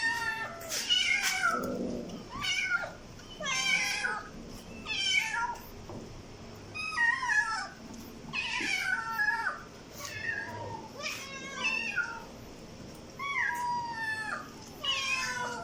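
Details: Kitten meows meant to attract cats: rapid series of short, high, falling mews, about one every second, repeated insistently throughout.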